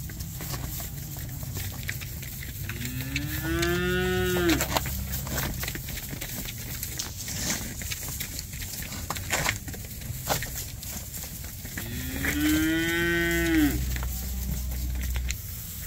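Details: Red Angus replacement heifers at a livestock auction in Lewistown, Montana, on 30 January 2024, giving two long, drawn-out harmonic moos, each rising then falling, about nine seconds apart, over steady low rumbling and clatter of the sale barn.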